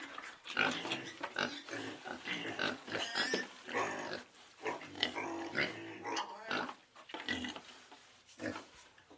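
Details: A small group of pigs in a pen grunt and snort continuously, their calls overlapping in a busy, rhythmic chorus.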